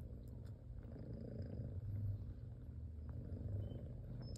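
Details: Domestic cat purring while her newborn kittens nurse indoors; a steady low rumble with rhythmic pulsing throughout, faint and continuous, no other clear sounds.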